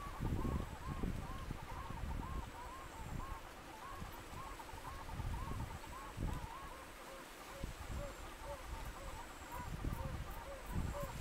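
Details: Chorus of yellow-bellied toads, pairs in amplexus, at a temporary rut pool in Apuseni Natural Park, Romania, mid-July 2021; many soft rising hoots overlap in quick succession, backed by steady low wind rumble and faint high bird chirps.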